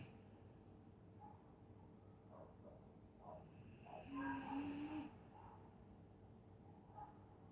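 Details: Winter-night snoring from a sleeping dog in Scotland: quiet puffing breaths, then one strong hissing inhale of about a second with a thin whistled whine inside it, followed by calmer soft breathing.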